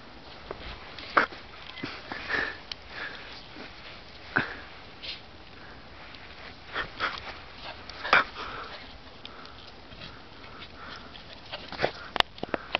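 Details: Welsh corgi named Biskit playing in the snow on 02/11/2010, sniffing in quick bursts of breathy snorts, with soft rustles and thumps scattered throughout and a sharp click near the end.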